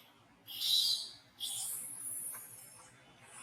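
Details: Monkey being disciplined by another at Angkor Wat Park gives one sharp, piercing scream after a quiet start, then a longer, strained, wavering cry that tails off gradually.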